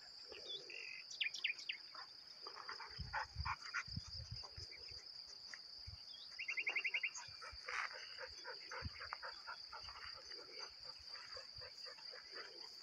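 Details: Crickets keep up a constant shrill trill, overlaid by varied short bird chirps, a quick rapid rattle of notes midway, and low thumps of background noise.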